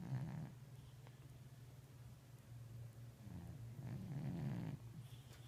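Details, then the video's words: Sleeping eight-year-old overweight cat snoring, a rough breath at the start and a longer raspy snore from about 3.5 to 4.7 seconds, over a constant low hum. "Snoring Slumber"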